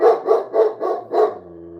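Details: Late on a Friday night, a German Shepherd with its hackles up gives five rough, rapid barks, about a quarter second apart, reacting to many nearby howling coyotes.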